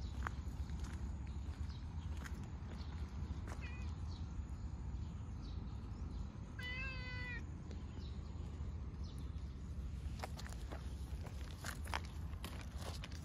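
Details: Stray cat Cha-chan meows while running up, with Fuku-chan also arriving; one clear, harmonic-rich meow lasting under a second midway, a brief fainter meow earlier, over a steady low outdoor rumble and scattered rustling clicks.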